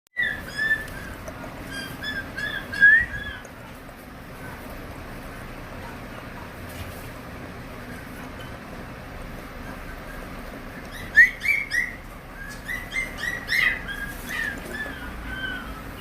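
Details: Maltese puppy, a purebred home-raised dog offered for adoption, gives short, high, whining yelps in two bursts, one at the start and another near the end, over a steady low background hiss.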